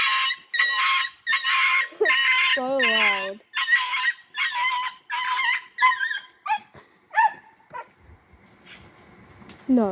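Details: Fox terrier crossed with Jack Russell terrier hunting a possum: rapid high-pitched barks and yelps in bursts, some with whining rising tones, then fading, with people talking nearby.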